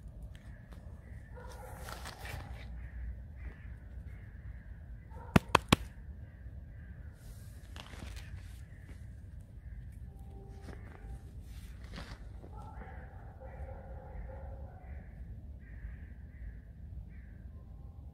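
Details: Alice, a pet fox, whining in a complaining mood during her morning washing: tonal, harmonic whines, some held and some clipped short, come in irregular bursts. Three sharp clicks sound near the five-second mark over a low background rumble.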